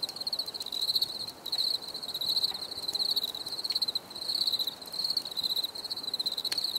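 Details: Rhythmic cricket chirping, a high pulsed trill rising and easing in bursts about every second, with faint upper overtones and occasional clicks.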